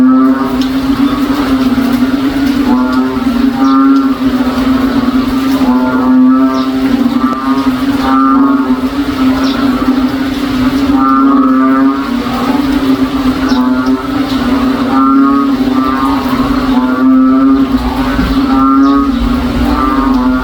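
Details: Rainy-day frog chorus from a provincial backyard, described as cow-like; rhythmic, wavering lowing calls recur every one to two seconds atop an unbroken low drone throughout.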